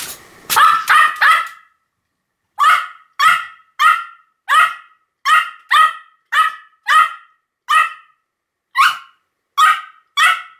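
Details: Pomeranian barking repeatedly, a quick double yap followed by a pause and then a regular string of shrill, clipped barks spaced roughly half a second apart.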